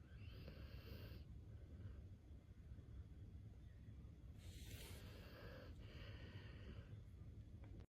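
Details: Akita asleep and snoring, giving quiet hoarse breaths at irregular intervals over a steady low-pitched hum.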